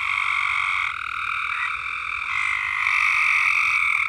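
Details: Frogs at Alderman Farms keep up a continuous wall of buzzy trilling, with several voices at slightly different pitches blending, then growing louder toward the end.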